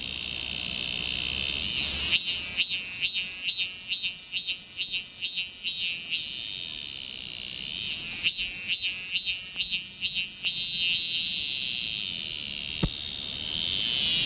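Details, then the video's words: Cicada recorded with a Galaxy S24 Ultra: a steady piercing high-pitched drone broken by two series of regular pulsed surges, roughly two per second, then a smooth buzz after a brief click. "매미 울음"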